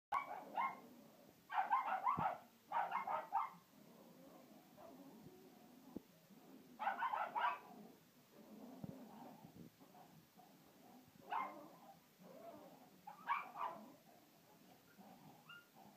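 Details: Two pet dogs barking at a hippo: short clusters of sharp, high barks in doubled bursts near the start, then isolated bursts around seven, eleven and thirteen seconds, with quieter gaps and a faint hum between.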